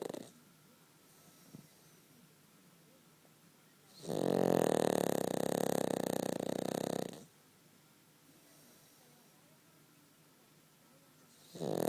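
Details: Cavalier King Charles Spaniel sleeping comfortably between its owner's legs, snoring: one long rasping snore of about three seconds, quiet breathing before and after, and another snore beginning at the very end.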